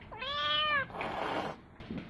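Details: Newly arrived house kitten calling urgently as other cats are fed; a short, clear, steady meow lasting under a second, followed by rustling and handling noises indoors.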